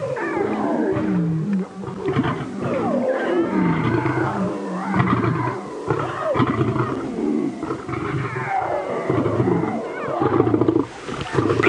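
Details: At sunrise on 25 November 2016 at Djuma Game Reserve, lions squabble around a carcass with two males, females and cubs present; harsh snarls, deep growling roars and rasping bursts overlap almost without pause, with cubs joining in.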